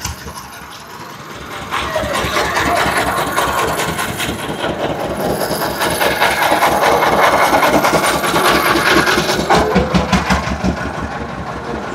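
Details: Steady, rhythmic mechanical rattling like an idling engine or sawing, with knocking and faint voices at a busy bull market. No animal calls stand out.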